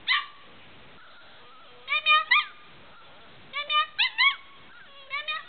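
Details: Medium Australian Shepherd puppy giving high, tonal whining yelps in short bursts of two or three, the pitch bending up and down, with quiet gaps between the groups.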